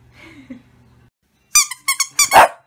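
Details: Shih Tzu, a small pet dog, giving three quick high squeaky yips followed by a longer, slightly falling bark, after a second of faint low murmuring and quiet.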